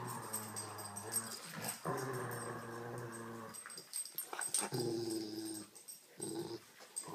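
A Rottweiler growls in low, rumbling bursts while playing tug of war.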